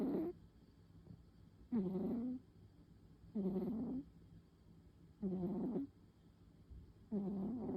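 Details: A female tabby cat named Pon sleeping soundly through an afternoon nap, her soft snores coming as five even, rasping breaths, each lasting well under a second and spaced roughly every 1.7 seconds, against a faint steady hum.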